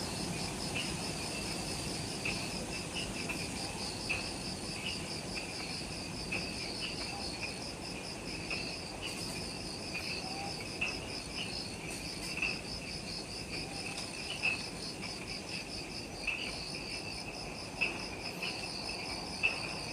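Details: Jungle insects on Ishigaki Island, Okinawa, Japan, near the Mount Omoto trailhead at twilight just after sunset: dense high shimmering trills in two pitch bands, punctuated by short sharp clicking chirps every second or two, over quiet low hum.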